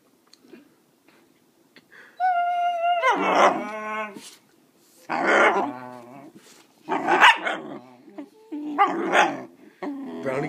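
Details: Puppy being taught to bark on command, with a littermate named Chanel nearby, answers with a tonal whine and then four harsh, broad barks spaced about two seconds apart.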